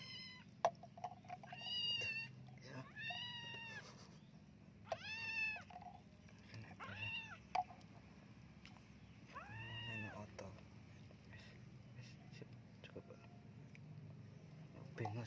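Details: A flea-ridden kitten meows repeatedly while being bathed, about seven arched, harmonic-rich cries spaced a second or two apart, with a low steady hum underneath and people talking quietly nearby.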